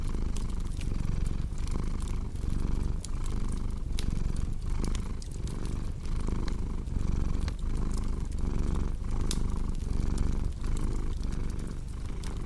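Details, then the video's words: Cat purring in a deep, soft rumble with a regular in-and-out rhythm, accompanied by constant fireplace crackles and occasional louder pops. "Purring Cat with Cozy Crackling Fireplace Sound"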